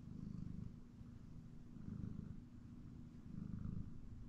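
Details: A pet cat called Hellion naps on a chair in the house, purring; a low vibrating rumble pulses in three breathy surges, loud then softer, with quiet lulls between.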